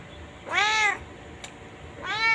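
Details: Chained white pet cat giving two drawn-out harmonic meows, rising then falling, separated by a pause of over a second, with faint background hiss.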